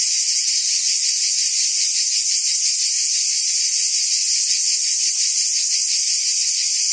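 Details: A constant, piercing buzz from cicadas in forest trees, with a lower band that flickers in quick rhythmic pulses. The sound stays evenly loud from start to finish, with no birds or people.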